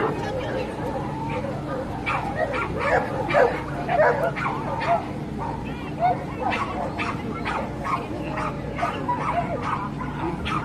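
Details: Dogs barking at a dog show marking a sibling pair's debut: a busy stream of clipped barks and yips, some overlapping, spread through the whole stretch, with voices and a constant low hum behind.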